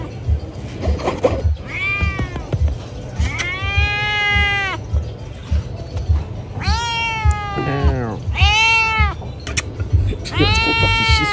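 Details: Loud meowing from pregnant cats: a run of about six drawn-out meows at uneven intervals, some arching and wavering, one lower and shorter, with a continuous low rumble underneath.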